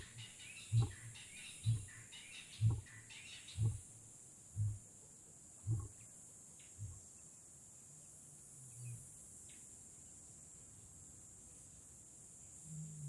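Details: In Kgalagadi Transfrontier Park, a lion's roar ends in a series of deep grunts, about one a second, fading in strength; birds chirp early on over a steady high insect hum.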